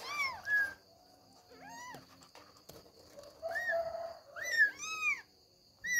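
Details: Kittens struggling to get out of their bed to run about; a run of thin, high arched mews, several overlapping, some bending down in pitch, with soft rustling and a faint steady hum.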